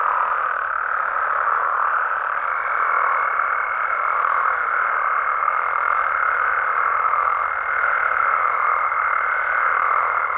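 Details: Frogs and toads calling at night in Mexico: a dense, continuous croaking chorus forms a steady mid-pitched wash, with a thin high whine running above it from the second second to the end.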